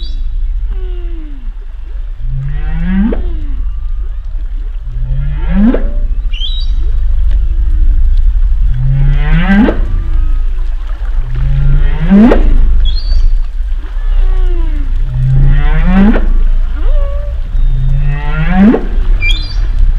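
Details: Humpback whale calls underwater: a regular series of low grunting upsweeps, each rising sharply into a higher whoop, repeated about every three seconds, with faint squeaks and whistles between them over a deep rumbling background.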